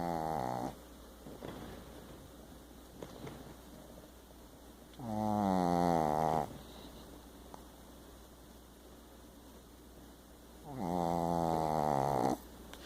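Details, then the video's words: Pet dog snoring while asleep, described as snoring bigger than he is: two long harmonic rasping snores, each about one and a half seconds, roughly five seconds apart, plus a short one at the start, with quiet breathing between. "Big snoring baby dog!"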